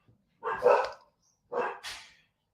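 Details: A female puppy indoors barks at a noise outside, a usually quiet dog: two short, sharp barks about a second apart, the second ending in a higher yelp, then silence.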